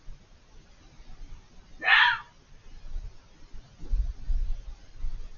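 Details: A fox hidden behind a hedge lets out a single harsh, hoarse scream lasting about half a second, followed by a faint fainter cry and low rumbling background noise.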